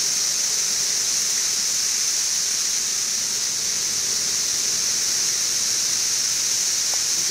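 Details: Periodical cicadas of the 17-year Brood XIV in Frankfort, central Kentucky, June 2008, about two weeks after mass emergence, quieter than at peak: a dense, unbroken high hissing drone, steady throughout, with an air conditioner running nearby.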